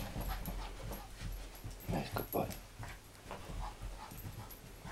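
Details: Eddie, a pet dog, chasing a laser pen and enjoying himself, gives short whimpering and panting sounds near the two-second mark, with scuffling and a man's voice praising him.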